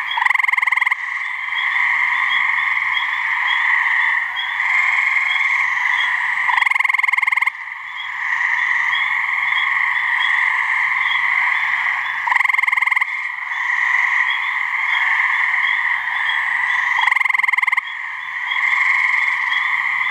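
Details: Mating calls of gray treefrogs (Hyla versicolor) from a New Hampshire swamp, two frogs: rapid pulsed trills lasting roughly a second, recurring every few seconds, set against a continuous shrill chorus hum.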